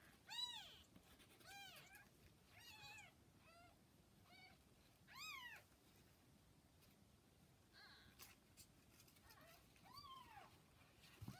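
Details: Newborn kittens roughly forty hours old beside mother cat Hana, recorded May 8: thin, high mewing cries in short arched bursts, several close together, then quieter gaps before a few more calls.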